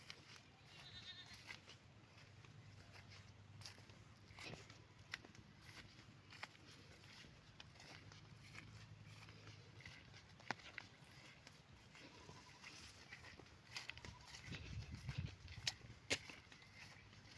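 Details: Domestic goat kept by a river, checked on by its keeper; faint, low, drawn-out bleats come in a few bursts over a steady outdoor background, with scattered clicks and rustling.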